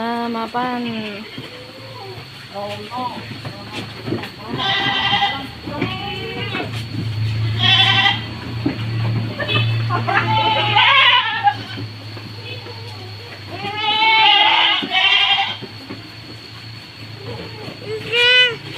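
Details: Goats on a farm in Purworejo, Indonesia, tagged as Kaligesing goats, being readied for shipment of 29 head to Serang, Banten; several wavering, quavering bleats rise at intervals of a few seconds among people talking nearby.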